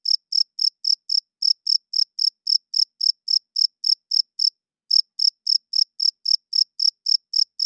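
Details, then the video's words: Crickets chirping loudly at night, the males' wing-rubbing call for attracting mates and marking territory. A fast run of sharp, high-pitched chirps stops for about half a second, then resumes at the same brisk rate. No background noise. "Cricket Chirping Sounds - Cricket klinkt 's nachts luid"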